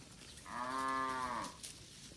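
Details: One village cow from a herd grazing in a green rice paddy gives a single clear, sustained moo lasting about a second, strongly harmonic and even in pitch, with little else heard.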